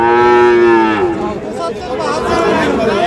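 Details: Fattened Sahiwal bull calf at the Ambari cattle market in Parbatipur, Dinajpur, on 11 July 2025, giving a strong harmonic moo for about one second before it breaks off, followed by market noise and chatter.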